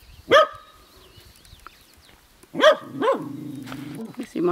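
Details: Female Welsh Corgi barking at a new barn kitten: a sharp, high, rising-falling bark, a pause, then two more quick barks, with a person's voice nearby.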